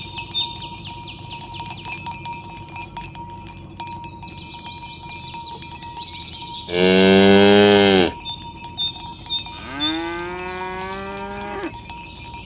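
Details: Morning herding of tame cows on a village road toward the pen: a sudden loud bellowing moo, then a second long moo that slides upward, amid constant cowbell clanking.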